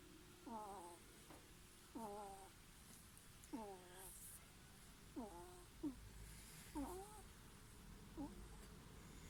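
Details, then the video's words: A ferret snores in its sleep, giving thin, nasal, falling squeaks in a slow, uneven rhythm of about six breaths in nine seconds, all quiet against a low hiss. "いびきをかくフェレット Snoring ferret"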